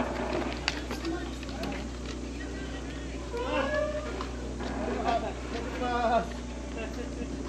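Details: Stray cat giving a few wavering meows in quick succession among human voices talking nearby, over a steady low hum from the surroundings.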